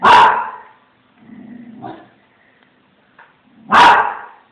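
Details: Small Münsterländer dog barking after seeing a cat: two loud, harsh barks about three and a half seconds apart, with a softer whining, grumbling sound between them.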